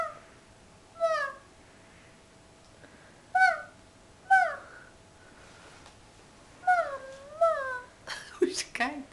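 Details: Tired puppy Phoenyx, coached to speak, lets out short moaning two-note whines about every two to three seconds, rising then dropping in pitch, ending with a clustered, rougher flurry of sounds; quiet indoor room.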